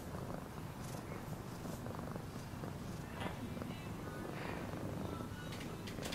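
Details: Low continuous purring of a cat, a grainy throbbing rumble under intermittent soft clicks and rustling noises.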